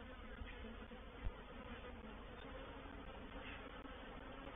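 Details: Reproductive swarm of honey bees entering a bait hive at Painted Peacock Manor, 04/07/21: a dense, continuous broadband buzzing hum, even in loudness throughout, with a single short knock just past one second.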